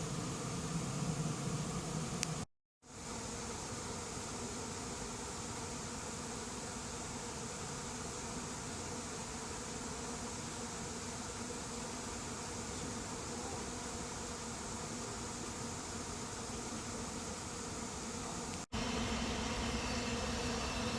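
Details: Late-season honey bee swarm moving into an empty hive; continuous droning buzz interrupted by a brief gap early on, steady throughout, with a sharp cut and slightly louder hum near the end.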